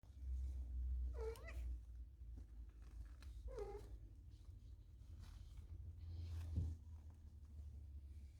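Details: Two-week-old Maine Coon kittens from a litter of three males and one female. Two short, high, wavering mews come about two seconds apart, then a fainter brief chirp near the end, all over a steady low hum.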